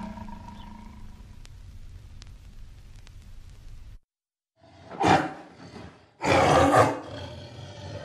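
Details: Tiger's call: a faint low hum, a brief silence, then two powerful, coarse roars, the second longer and louder, full of breathy harsh texture.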